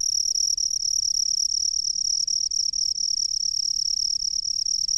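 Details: Cricket from the rice fields singing a continuous, even, high-pitched ringing trill with scarcely any breaks, over light low-frequency background noise.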